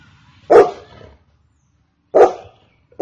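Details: Golden Retriever barking: two loud, abrupt single barks about one and a half seconds apart, separated by silence, with a third just beginning at the end.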